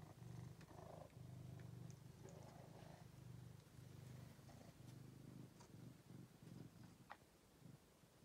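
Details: Angelus, a male pet cat rescued after being found sick and extremely thin in a basement, purring steadily in low, rumbling pulses with brief pauses between breaths, alongside faint rustling and a few soft clicks.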